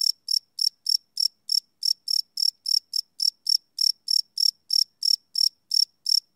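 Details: Live, loop-free night recording of crickets on a Sony PCM D100 field recorder: a brisk, even series of shrill high chirps, roughly three per second, filling the clip with no other noise.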